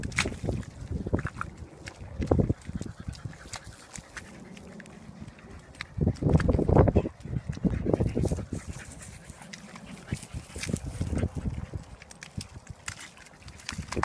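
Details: Two Staffordshire bull terriers playing and getting muddy give low, rough growls and snorts in bursts, with splashing and scuffling between.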